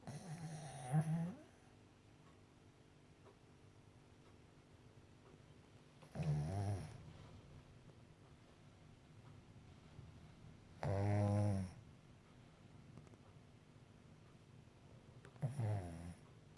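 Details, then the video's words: A Shih Tzu snores loudly in low, rattling bursts roughly every five seconds. "Blue the shih tzu snoring"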